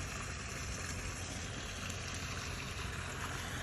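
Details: Steady rushing water and engine-like rumble, broad and even throughout, with no animal call heard.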